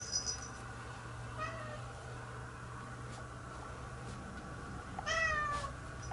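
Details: Domestic cat, just bathed, wandering around indoors looking for an exit to get outside, gives two drawn-out harmonic meows about four seconds apart, the second louder, over a steady low hum.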